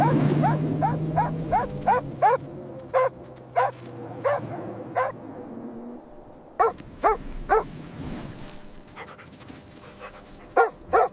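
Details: Happy puppy barking during outdoor playtime with baby rabbits on green grass: quick runs of high yips, then a pause and a further burst of sharp barks. A low hum sounds underneath at first.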